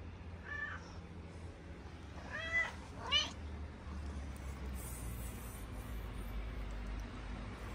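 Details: Mother cat, a homeless street cat in Morocco, calling out about her family while being fed: three short meows, the first faint, then two louder rising-falling ones about half a second apart, followed by steady low street hum.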